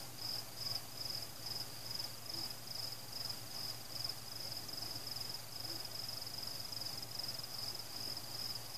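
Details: Crickets chirping at night during a fireworks celebration, with no people, pets, music or cars: a steady high trill pulsing in rapid bursts about two or three times a second, over a low rumbling background.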